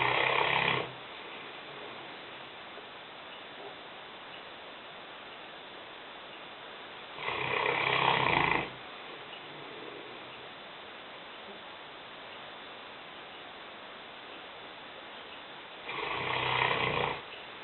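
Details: Lena, a five-year-old female Newfoundland dog weighing 150 pounds, snoring in a kitchen: loud rasping snores about every eight seconds, broad and noisy, with quiet hissing room noise between them.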